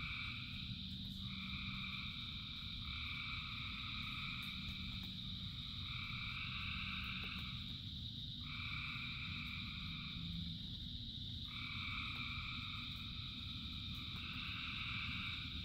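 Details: Massed frogs calling during rain, their dense steady chorus overlaid by repeated two-tone trilled bursts lasting one to three seconds, set against heavy low rain noise throughout.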